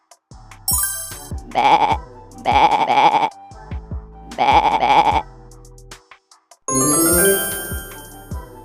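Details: Goat bleating in two long, wavering, quavering cries, each lasting about a second, with children's background music and bell-like chimes throughout.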